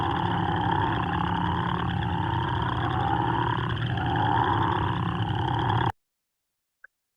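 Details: Crawfish Frog, a near threatened Kentucky species, giving its deep, loud snore, audible from quite a distance, as wetland frogs call in early spring. A dense, steady, pulsing snore runs unbroken for about six seconds, then stops abruptly.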